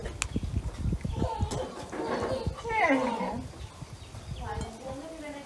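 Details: Kittens being fed fish with rice; one clear drawn-out meow rises and then slides downward near the middle, with softer mewing later and scattered clicks and rustling underneath.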